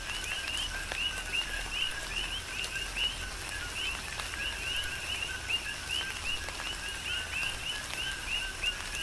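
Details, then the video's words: Big Island, Hawaii chorus of coqui frogs during tropical rain, many overlapping callers giving quick low-then-high rising chirps several times a second, with a constant wash of rain and occasional louder raindrop taps. "Tropical Rain & Coqui"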